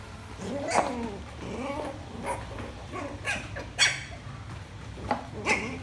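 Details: A male Lhasa Apso puppy, barking for the first time while playing with a rolling box, gives a string of small, high yips and squeaky barks.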